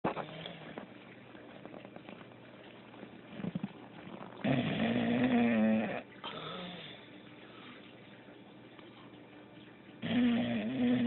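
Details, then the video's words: Female pet dog snoring while she sleeps: rough, buzzing snores with a low tonal hum, in bursts of one to two seconds separated by quieter breathing, in a quiet indoor setting. "my dog snoring while she sleeps"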